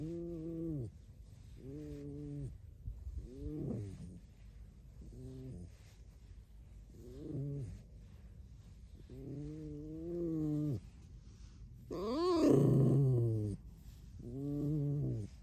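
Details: Pet red fox kept in a home, vocalising without words; a series of low, harmonic-rich squeaky whines, about eight bursts with short pauses, one louder rising-and-falling cry near the end.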